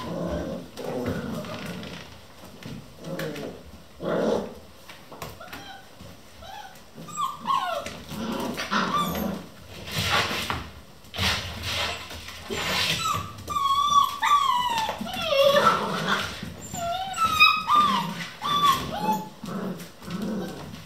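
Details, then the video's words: Eleven Vizsla puppies at a kennel playing non-stop at 3 am: a busy tangle of low growls, squeaky whimpers and rising and falling yelps, many overlapping, with scratching and bumping between bursts. "11 vizsla puppies play non-stop"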